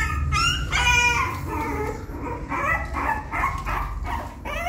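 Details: A puppy learning to climb into its nest whines and yips in short, wavering high cries, several in quick succession, over a steady low indoor hum.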